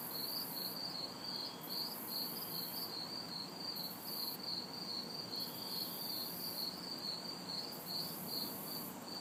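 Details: Crickets and cicadas calling together on a humid summer night in an urban backyard: brisk, evenly spaced chirps, a piercing high buzz pulsing in long on-off stretches, faint distant traffic.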